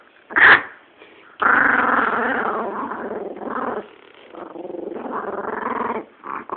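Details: Female chihuahua guarding her bone while a person tries to take it; rough, rumbling growls, a sharp yip near the start, growls rising and falling in pitch with short gaps.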